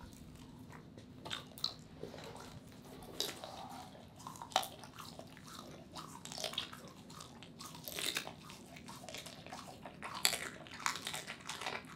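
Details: Quiet crunching and wet chewing sounds of food being eaten indoors in a small room, with no barks or other animal voices.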